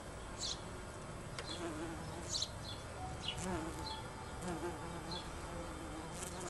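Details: Bumblebees in a back garden in June 2009 give a low, steady droning buzz, with brief high chirps breaking in now and then.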